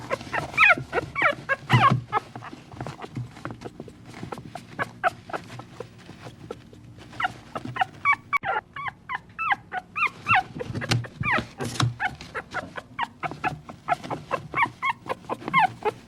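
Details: Baby dog giving long runs of rapid, high-pitched squeaky whimpers and yips, pausing briefly midway before resuming, with soft low thumps and rustling beneath.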